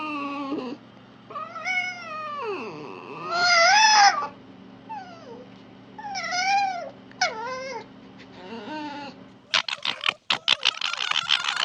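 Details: A wild fox gives wavering, whining calls that rise and fall, then a burst of harsh, rapid screeching yelps.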